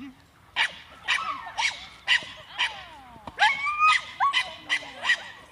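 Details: Young Staffordshire bull terrier, seven months old, in defence training: loud, harsh barks roughly every half second, about ten in all, with a man speaking between them.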